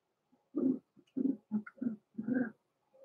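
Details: Blenheim Cavalier King Charles Spaniel puppies, born November 14, 2022, from a small litter in an indoor puppy pen, named Roman and Blue, at Christmas; low throaty grunts and moans in short bursts, with brief higher squeaks between.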